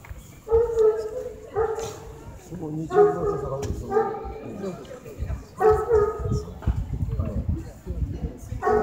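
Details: Adult male Great Pyrenees at a breed specialty show in North Kanagawa, Japan, in 2015; deep, harmonic barks, single or paired, about once a second, with crowd voices and handling noise behind.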